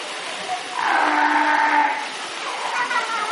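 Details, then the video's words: Fur seals swimming in a pool make a drawn-out, moaning call lasting about a second, steady in pitch with a bright overtone, set against constant rushing water noise. "Kotiki hałasują :) / Fur seals making some noise :)"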